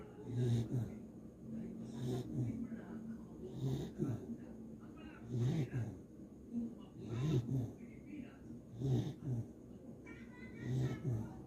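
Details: A sleeping Beagle snoring: low, rough rumbling breaths that come roughly every one and a half to two seconds, rising and fading in a steady rhythm, with faint background noise between breaths.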